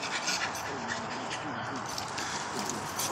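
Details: Two Patterdale terriers, RIP and Zoie, tugging on a fox skin at play: breathy, rasping dog noises with low wavering growl-like tones throughout, a man's voice nearby.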